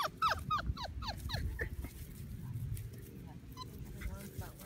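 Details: Five-week-old British Labrador Retriever puppies, a litter of six, whining as they grow sleepy: a burst of high, sliding whimpers and yelps in the first second and a half, then quieter, with a person talking and low background rumble.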